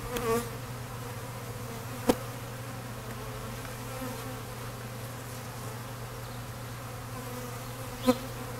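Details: Many honey bees at an open feeder offered syrup and leaned honey frames, some fighting over the food; an even low hum of wings runs throughout, broken by two sharp clicks.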